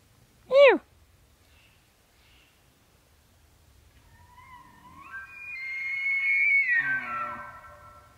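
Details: Bull elk in the rut: one brief arched squeal, a pause, then a long bugle climbing from a reedy tone to a high sustained whistle, sliding down into low guttural grunts at the end; quiet background.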